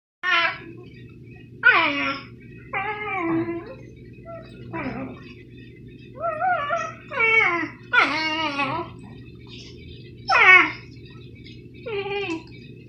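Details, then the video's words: Dobermann dog 'singing': about nine short, wavering howls and yelps, each sliding downward in pitch, delivered in bursts with brief pauses between them over a steady low background hum. "Doberman singing"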